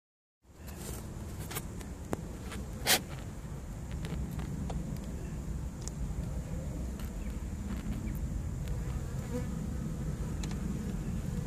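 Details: Honey bee swarm caught in a swarm trap in September 2014: a steady, dense low buzzing hum that starts after a brief silence and runs throughout, with a few sharp clicks and a short knock near three seconds.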